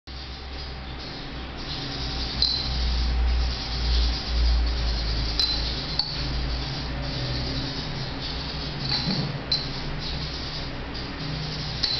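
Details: Soft background music with light clinks and room sounds, without any barking or other animal call.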